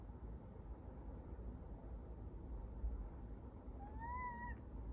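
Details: Persian cat, described as chatty, giving a single short rising-then-level meow near the end, preceded by steady low background rumble.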